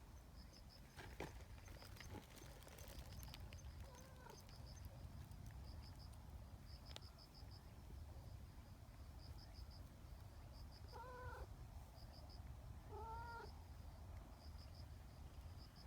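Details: Neighbourhood cat calling to gather companions onto a bench, forming an affectionate trio; two brief meows near the end, two seconds apart, over steady low hum and a repeated high insect-like pulsing.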